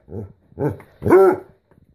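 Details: Basset Hound dog giving three short, rough, voiced grumbles within two seconds. The last is the longest and loudest, with a slight rising-then-falling tone. A person calls the dog's name just before.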